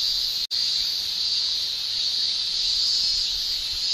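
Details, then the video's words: Summer cicada shrilling recorded in Japan: an unbroken, bright, high-pitched buzzing wall of sound. It cuts out abruptly for a split second near the start, then resumes at full strength. "Japan Summer Cicada Shrilling"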